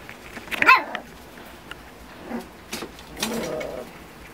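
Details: Miniature Schnauzer puppies, eight littermates 45 days old, play-fighting while their mother watches from a distance; one sharp high yelp near the start, then softer scattered squeaks and a brief grumbling sound, with a person talking afterward.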